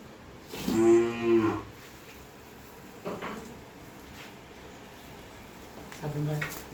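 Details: Pure Holstein Friesian cow in Bogura, Bangladesh, in heat and being inseminated on her second heat: one deep two-part moo early on, then quieter lowing near the end, with people talking nearby.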